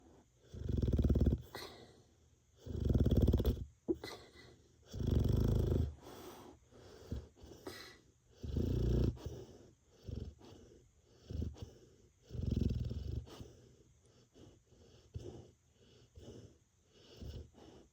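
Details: Labrador Retriever named Ppippi, a large dog, snoring indoors: deep, low rumbling snores in long swells roughly every two to three seconds, each fading into quieter breathy wheezes between, with no other clear sounds.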